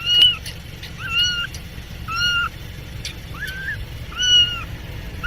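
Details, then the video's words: Cats and kittens meowing: five drawn-out, slightly rising-then-falling meows spaced about a second apart, each with clear harmonics, over a steady low rumble in the background. "Funny cats and kittens meowing compilation 2021, Cat_Sound_Effects ।। ବିଲେଇ ର ମିଆଁଉ"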